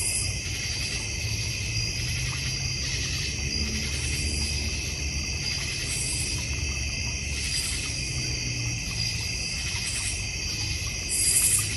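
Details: Nighttime cricket chorus from a North Georgia Mountains backyard with a goldfish pond: continuous, layered shrill trilling at several pitches, pulsing gently every second or so, with a steady low rumble beneath.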